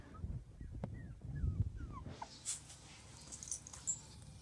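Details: Playing Border Collie puppies let out thin, high whimpers that slide up and down in short strokes, over low rumbling handling noise, then fade into faint hiss.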